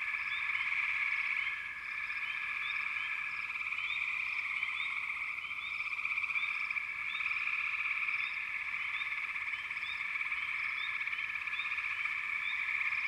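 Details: Dense frog chorus forming steady bands of continuous trilling, with short rising chirps scattered repeatedly above the main drone throughout; no other sounds stand out.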